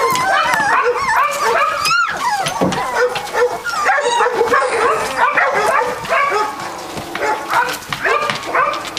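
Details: Young Catahoula Leopard Dog puppies, 3 weeks old from the Dixie and Beau litter, squealing rapidly and continuously, a busy chorus of short yelps and whines with one loud rising squeal around two seconds.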